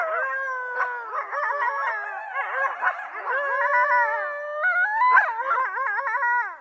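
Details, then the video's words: Several coyotes calling together in a dense chorus of overlapping wavering howls and quick warbling yips, pitches bending up and down continuously throughout, with sharp yelps standing out near the start and middle. "THE SOUND OF COYOTES"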